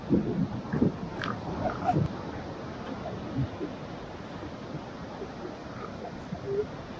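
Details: Northern elephant seals on the Northern California Pacific coast, among them pups, mothers and sparring adult males, give deep, guttural grunts and snorts, bunched early then scattered, over a steady hiss of wind and surf.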